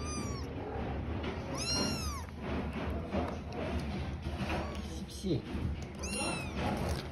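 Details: Kittens living with their mother give high, arching meows with bright overtones, three separate cries spread over seven seconds against steady low background rumble and rustling.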